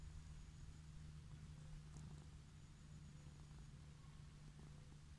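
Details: Orange tabby cat found lying in a grassy field, contentedly purring as it is petted; a continuous deep, even rumble throughout, joined by a thin high tone and soft handling noises.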